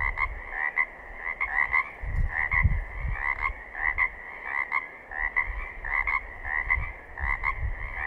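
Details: Pacific chorus frogs in southern Oregon calling as a chorus: rapid, two-part ringing croaks repeated in quick bursts, several voices overlapping, with low rumbling thumps underneath.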